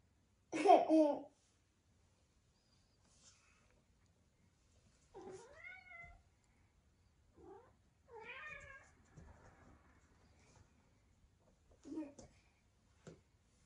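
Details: Norwegian Forest Cat clinging to an arm and seeking affection, indoors, gives a loud opening meow followed by several soft, short, rising chirping meows spaced a few seconds apart in a quiet room.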